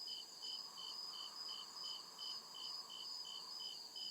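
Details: High, metallic cricket chirps repeat evenly, about two and a half each second, over a continuous shrill trill in the forest at night, with a gentle background hum.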